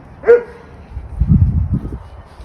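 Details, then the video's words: German Shepherd puppies playing together outdoors in a yard, vocal during rough play: one sharp, loud bark near the start, followed by low rumbling scuffling and faint background noise. "Pack Of Vocal Puppies Play"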